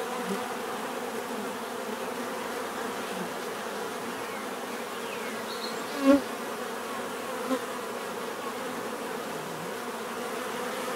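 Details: Steady hum of numerous bees forming a soft constant drone, interrupted by a short sharp click in the middle and a smaller tap shortly after.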